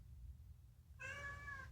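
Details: Chatty rescued house cat voicing a food-related meow: after a second of quiet hum, a single strong, slightly falling harmonic meow lasting under a second.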